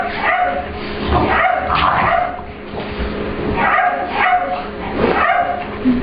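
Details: A puppy named Ester, an English Bulldog/Pit Bull cross, meeting and playing with Layla, another dog, at a grooming room, asserting it is her room. Rough barks and yips come in clusters every second or so over a steady mechanical hum.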